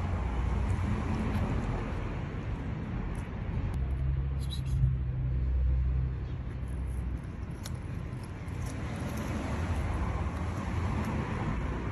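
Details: Steady traffic rumble from passing cars outdoors in an urban setting, with faint voices and no animal calls heard.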